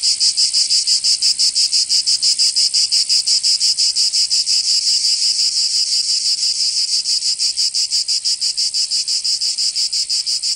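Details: Cicadas singing in summer in Provence, southern France: a dense, harsh, high buzzing pulsed about three times a second in a steady, even rhythm, with no other sounds.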